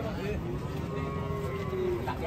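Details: A big cow being unloaded from a truck lets out a long, steady, low moo lasting about two seconds, with quiet background chatter.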